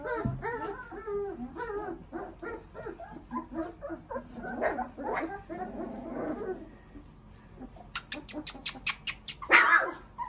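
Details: Young puppies, three weeks old, make a run of brief whimpering squeals in quick succession, then quieter muffled whines, followed by sharp clicking and tapping noises and one louder yelp near the end.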